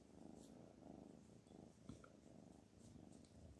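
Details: A pet cat named Black Panther purring steadily, a low rhythmic rumble of closely spaced pulses pulsing in soft waves throughout, with faint brief clicks above.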